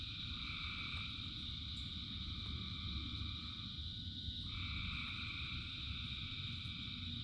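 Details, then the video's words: Thousands of frogs singing in rain: a dense, unbroken chorus with a steady high trilling layer and lower two-pitched calls that drop out and return around the midpoint, over a constant rushing rain hiss. "Frogs in Rain 2 Hours of Frogs, Thousands of Frogs Singing"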